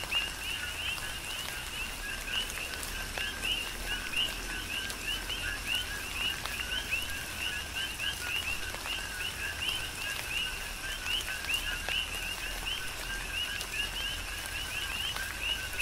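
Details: Chorus of coqui frogs on the Big Island of Hawaii during a tropical rain shower; many overlapping two-note chirps, a lower note then a higher one, repeated constantly over steady patter of raindrops.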